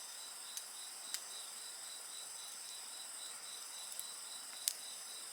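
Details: A shrill, continuous insect chorus with a rapidly pulsing high voice, punctuated by a handful of bonfire crackles, the loudest toward the end.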